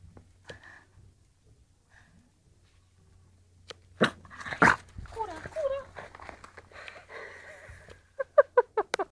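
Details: A 15-week-old male French Bulldog puppy indoors in a small room gives wavering whines midway, then a quick run of five sharp, high yips at the end. Loud knocks and a person talking are also heard.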